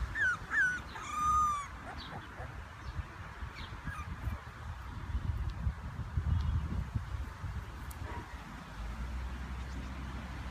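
English bulldog giving a few brief, high, whining whimpers, then only low rumbling background noise.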